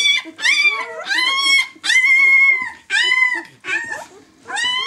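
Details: A six-day-old White German Shepherd puppy from the "of White Night" B litter gives loud, drawn-out high whines, each about half a second long and arched in pitch, with short pauses between.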